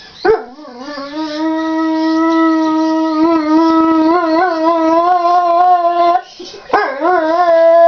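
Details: Neapolitan Mastiff singing: a long, steady, harmonic howl holding one low-middle pitch for about five seconds, wavering slightly, then a brief break and a fresh rising howl near the end.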